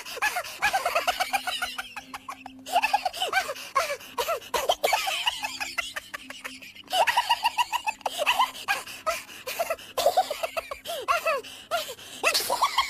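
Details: Persian kitten forced to feed from another cat that is not its own mother, mewing insistently in dense strings of short high-pitched squeals, interrupted by brief lulls, with scratchy rustling and clicking around it.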